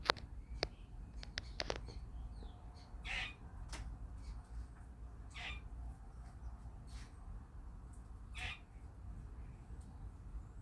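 A squirrel gives harsh, bird-like squawks, one every two to three seconds, over a low rumbling background with a few clicks at the start.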